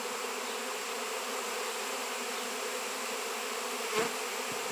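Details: Honey bees swarming over a raw 7 lb chunk of shungite give a continuous, even buzzing drone, broken near the end by one brief sharp click.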